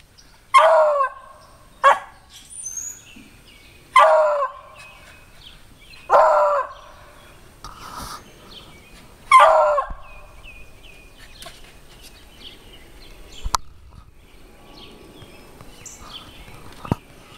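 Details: Beagles treeing a squirrel outdoors give loud bawling bays in short bursts about every two seconds. The calls thin into scattered faint yelps and clicks.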